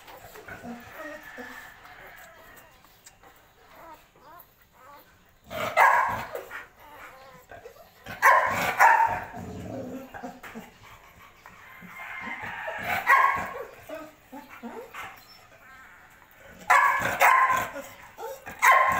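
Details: Belgian Malinois dog, a mother with her puppies, giving several sharp barks in short bursts spaced a few seconds apart, with quiet stretches and human speech between them.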